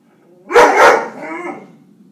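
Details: A Weimaraner barks at birds, a quick, harsh, full-throated double bark that trails off into a softer rumble.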